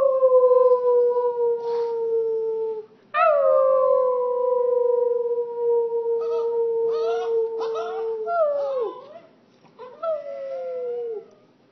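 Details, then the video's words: A little Boston terrier "sings", howling in long, sustained, slowly falling tones with brief yips between. "Boston terrier singing"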